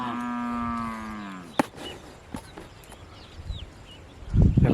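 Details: Hallikar cattle herd on its way to grazing in Harohalli Taluk: a single drawn-out, slightly falling moo at the start, followed by clatter, footsteps and a man's voice calling the animals.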